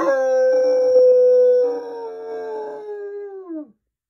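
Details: Long drawn-out bloodhound howl, an excited high-energy dog communicating: one clear sustained tone held steady for over three seconds, gently drifting lower and dropping off at the end, with a rougher second voice briefly underneath.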